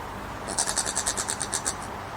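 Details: Common brushtail possum in Queensland, Australia, making strange noises: a quick run of about eleven harsh, buzzy pulses spread over just over a second, then silence apart from a steady background hiss.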